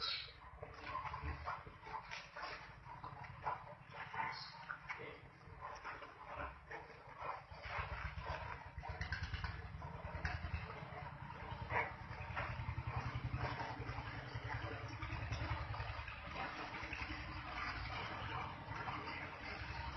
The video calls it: 🐗 Efeito sonoro de javalis roncando 🐗 Boar sound effect